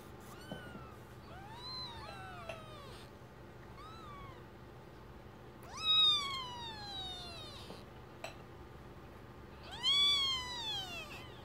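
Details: Newborn kittens, a first litter of four (two red striped, two black striped) born September 27th 2015 and tended by their mother, give repeated arching, high-pitched mews, growing louder and fuller around six and ten seconds, against faint background hum.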